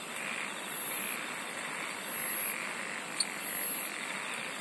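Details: Insect song outdoors: three bursts of shrill, rapidly pulsed buzzing high overhead, roughly one and a half seconds apart, against a constant shimmering background chorus.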